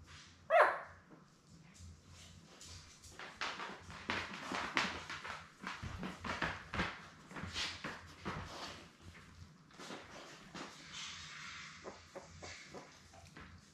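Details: Seven newborn Labrador Retriever puppies, born May 24, 2021, with their mother Belle indoors on a live puppy cam; a run of high squeaky whimpers and short yelps, with a sharp squeal near the start and soft rustling between calls.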